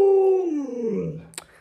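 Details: Luoluo, a pet Alaskan Malamute kept at home, gives a single drawn-out howl that starts as a steady tone and slides smoothly downward over about a second before fading, followed by a brief click.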